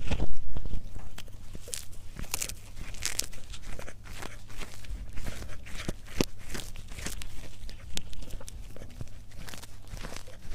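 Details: Cat eating in a close-up ASMR mukbang recording: irregular crisp crunches and short broadband chewing clicks, around two per second, over a steady low hum, indoors.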